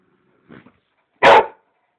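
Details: American Staffordshire Terrier wanting to play, giving one loud short bark after a faint low sound, with a man speaking Polish just before and after.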